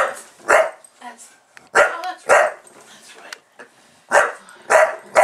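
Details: Buster, a Bulldog reacting to the camera being on, lets out rough, raspy barks, paired and spaced unevenly across a few seconds, with soft human talk in the pauses.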